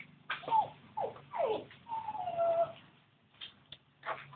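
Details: Newborn Labrador Retriever puppies from a litter of thirteen, indoors, giving several high, wavering squeals and whines that slide downward, with one longer drawn-out cry, then soft scattered snuffles and clicks.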